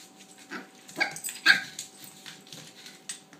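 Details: Toy Australian Shepherd puppy, female, barking at her bone indoors: a few short, sharp yappy barks spaced about half a second apart, with a person talking softly to her nearby.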